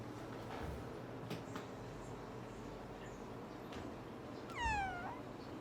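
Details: Kitten indoors gives a single clear meow near the end, a high cry that falls then flattens, with bright harmonics, after several seconds of quiet room noise and soft thumps.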